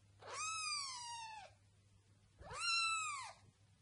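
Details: Domestic cat meowing indoors: two drawn-out harmonic meows, each about a second long, rising then slowly falling, separated by a short quiet pause.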